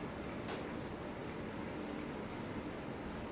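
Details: Steady low rumbling background noise like a passing vehicle or train, with one brief sharp click near the start and no animal voice.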